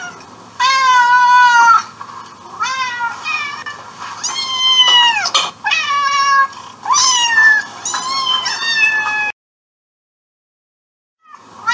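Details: Insistent meowing from a domestic cat: a run of loud, drawn-out harmonic meows, some sliding downward, delivered one after another, then a stretch of silence before a final faint start.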